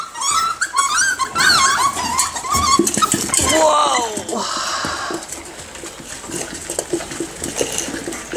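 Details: Nine-week-old Miniature Schnauzer puppies at feeding time indoors, first giving high whimpering yelps and squeals, then rougher growly scuffling noises as a person exclaims in surprise.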